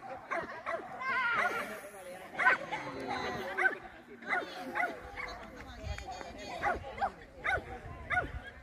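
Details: Small German Spitz (Kleinspitz) at an agility competition, 30 June 2024, giving rapid high yappy barks in irregular bursts, roughly one per second, over steady background chatter of people talking.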